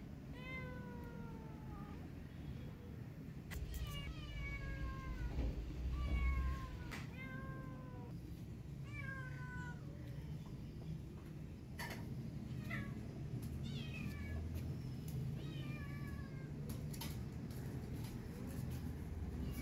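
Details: Kitten stuck high up and hungry, calling for food with a long series of loud, descending meows, several short and sharp, coming every second or two against constant low background rumble and faint clatter.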